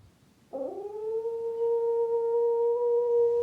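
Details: A domestic dog with separation anxiety, left alone at home in a quiet village, gives a long, steady, mid-pitched howl that barely wavers, howling to seek reattachment to its owner.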